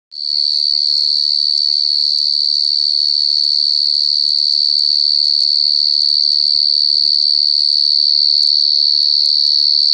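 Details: A wild cricket giving a loud, shrill, high trill that holds steady without a break, with faint low murmurs beneath.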